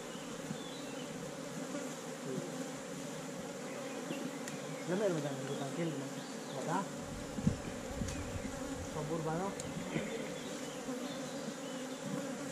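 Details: Honey bees in a hive inside a hollow tree trunk during a honey harvest, filmed on a GoPro Hero5 Black: a steady low droning hum runs throughout, with men's voices talking over it midway and near the end.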